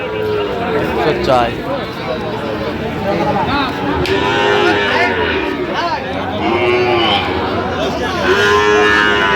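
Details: Sahiwal bull calves at a livestock market near Dhaka, Bangladesh, on 28 November 2025, bellowing in a series of short, arching moos every couple of seconds, amid market chatter and bargaining voices.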